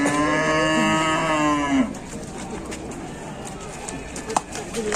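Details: Rowdy young calf on an Indonesian farm, charging around, lets out a sustained harmonic moo lasting nearly two seconds, then clattering and quiet background sounds follow.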